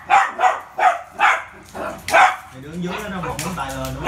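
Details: Poodle Rio, busy with a ball, fires off five rapid barks in the first two seconds, then a person's voice takes over.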